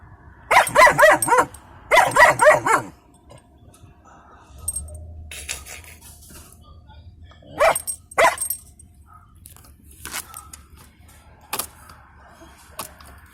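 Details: German Shepherd puppy in a truck at a scrapyard, barking at people by the fence: two quick bursts of rapid barks at the start, then scattered single barks and faint rustling.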